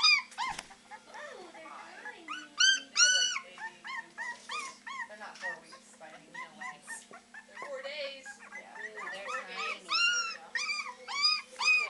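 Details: Three-week-old Beagle puppies baying away at the Maryland SPCA, practicing their howling: bursts of high curved yelps and whines, uneven in rhythm, with people talking in the room.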